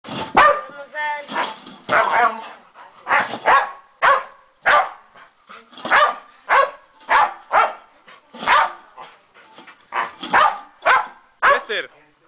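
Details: Bored boxer caged in a small space in La Serena, barking nonstop; loud, harsh barks about once a second, some doubled, with people talking and laughing in Spanish nearby.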